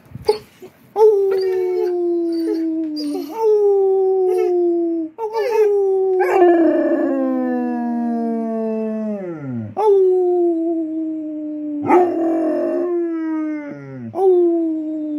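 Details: Clyde, a pet Basset Hound, howling: long mournful notes that each slide downward, several starting with a rising yelp, one dropping steeply low, separated by brief breaths, with no other sounds.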